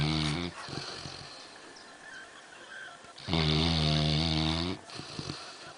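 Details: Black Labrador Retriever named MacKenzie, about 11 months old, asleep on a settee after an afternoon of swimming; two rough snores with strong low harmonics, a short one then a long one lasting over a second, quiet breathing between.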